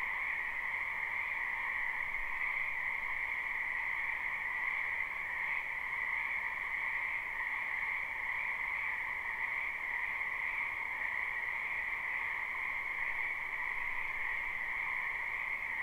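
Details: Spring wetland frogs in a massed, continuous chorus, recorded live: countless overlapping calls blend into a constant shrill hum with two steady pitch layers that hold evenly for the whole stretch.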